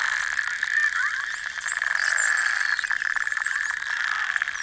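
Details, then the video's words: A large group of Atlantic spotted dolphins recorded by underwater hydrophone during a whale-watching boat trip. High, upswept and looping whistles and fast click trains sound over a steady hum. "ДЕЛЬФИНЫ целебные звуки"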